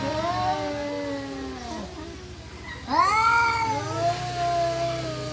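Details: Cat yowling loudly in a possible mating or fighting encounter, with a sustained, slowly falling moan, a short quiet gap, then a sharp rising wail that swells and stretches into a steady, harmonic cry; faint low rumble underneath.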